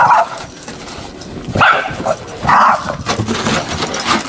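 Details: Pet dog Webster, out in the snow along shoveled paths, tries to get Calvin to play, giving three abrupt barks about a second apart, high and slightly whiny, over a low background hiss of outdoor noise.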